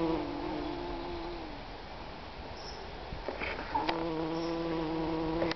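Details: Bee buzzing in a garden in Wolverhampton, UK, in June 2010: a steady droning hum that wavers in pitch, fades slightly midway, then returns stronger, with a few brief clicks and light background noise.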